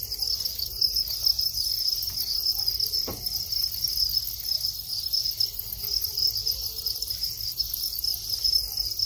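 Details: Farmed Thai crickets in their breeding cycle, males calling as mating begins; a steady high shrill trill runs throughout, with a brief low knock near the three-second mark.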